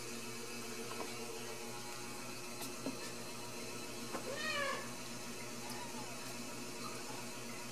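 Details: Ragdoll kittens at a home cattery in central Kansas, raised without cages, give a short, faint, high meow with a rising and falling wavering tone near the middle of an otherwise quiet indoor scene with light background hum.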